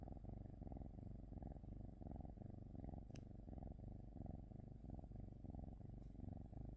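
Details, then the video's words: Domestic cat purring: a low, steady rumble with soft rhythmic pulses about one and a half times per second, continuous throughout, with one brief sharp click midway. "cat 🐈‍⬛️ purring"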